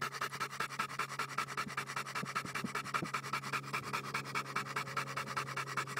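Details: Bowzer the Johnson American Bulldog panting hard and regularly, quick airy puffs repeated about every 0.4 seconds, over a constant low electrical hum.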